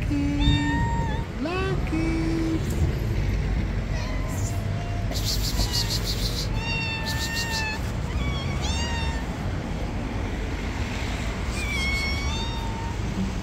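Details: Meowing from a hungry black cat: short rising squeaks early on, then a series of longer steady meows every second or two, with brief bursts of hissing noise and an ongoing low rumble beneath.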